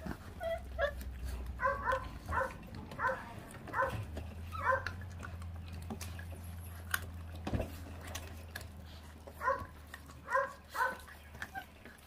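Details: Feral dog puppy, born to a feral mother that does not care for her young, vocalizing while eating: a run of short, high, tonal growling yelps repeating about every half second, over a steady low hum.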